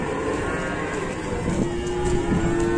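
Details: Banteng cattle being unloaded from a truck at Pasar Pon Ambarawa market in Indonesia: a low, drawn-out tonal moo that holds steady, then dips and rises again, over constant crowd and market noise.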